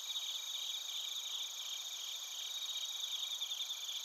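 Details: Short stretch of Japanese bell crickets and other crickets from Narita, Chiba Prefecture, via TASCAM Portacapture X8: bright, continuous high trilling in several layered tones, pulsing quickly and evenly.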